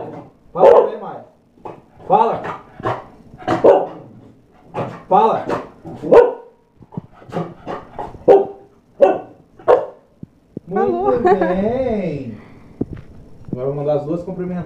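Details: A Chow Chow mother and daughter playing during training give a run of short, sharp barks, then longer drawn-out vocal sounds, with human voices.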